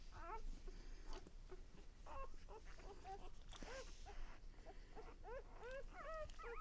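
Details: One-day-old puppies from Lexa's litter making thin, bending squeaks and mewling whimpers that grow more frequent toward the end, over a steady low rumbling background noise.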